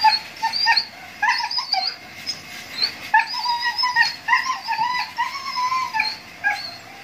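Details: Siberian Husky during mating gives a string of high, wavering whines, short rising and falling cries that break off and resume every second or so, with brief quiet gaps between bursts.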